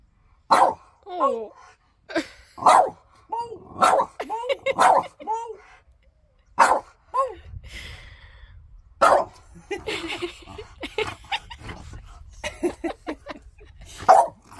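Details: Pet French Bulldog in a vocal argument with its owner about shoes: several short wavering, bending yowls in quick succession, then a pause and rustling, with human voices and laughter mixed in.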